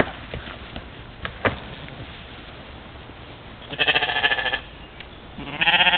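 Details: European mouflon herd recorded by a trail camera at a waterhole in the morning in Czempiń forestry, Wielkopolska, Poland, 13 July 2018, while playing; two harsh bleats around the fourth and sixth seconds, with soft knocks and rustling before.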